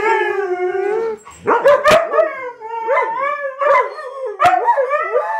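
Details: Pet huskies in a house full of dogs howl in chorus: a steady drawn-out tone, then overlapping rising and falling howls with sharp yips between them, loud and close.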